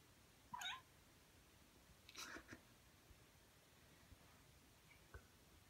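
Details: Pet Ragdoll cat indoors, from a household with two young Ragdolls, Ao and Aki; one brief bright meow near the start, then soft rustling and a faint tap in a quiet room.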